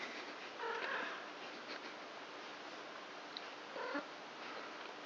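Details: Four three-week-old kittens of the cat Krampus, born 29 March, at play indoors at night; two short high mews about three seconds apart over steady background hiss.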